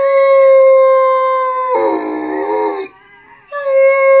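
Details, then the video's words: Gus, a harlequin Great Dane, howls along while watching videos of other dogs howling, giving a long, steady howl that breaks into a wavering, lower-pitched moan. "Gus the funny howling harlequin great dane"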